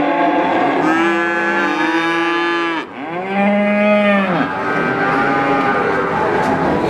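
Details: Young cattle calf calling: two long, clear moos with rich harmonics, the second arching upward then down near the middle, followed by a softer trailing call over a faint constant background noise.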